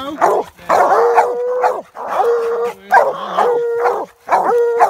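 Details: Hounds bay at a treed raccoon in a swamp, Treeing Walker and American Leopard breeds. Loud chopped barks each end in a level, held howl, repeated roughly every second.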